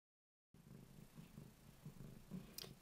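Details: Ruby, a female cat, purring steadily while she cleans her own kitty bed; a low, throbbing rumble begins after half a second of silence and swells and fades in soft rhythmic pulses, with a faint click near the end.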